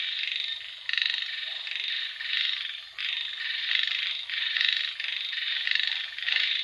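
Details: Rainy-night frog chorus: harsh, pulsing croaks arriving in surges roughly every second, a short gap near the start, over a faint low-pitched rumble.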